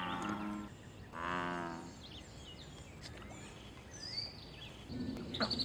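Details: A wild American bullfrog in a pond gives a call linked to mating and territory. One full, deep, buzzing croak follows the tail of an earlier one. Then a quiet stretch with soft bird chirps and a low rumble at the end.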